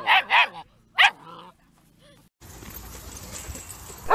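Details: Dog giving three loud, harmonic barks in quick succession within the first second and a half, then a brief pause before steady background hiss and a final burst of sound.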